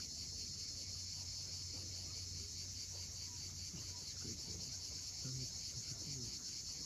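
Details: A sunset cicada chorus on the cliffs of Cape Fiolent, Crimea, forms a constant piercing hiss-like trill. Brief low chirps and soft surf noise come underneath.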